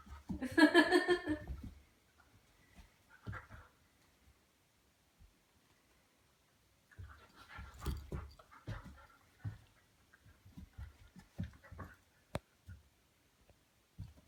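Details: Harvey, a 10-week-old Goldendoodle puppy indoors, barking while slowly warming up to a new plastic toy ball; one short, harmonic puppy bark bursts out at the start, followed by quiet rustles and soft knocks.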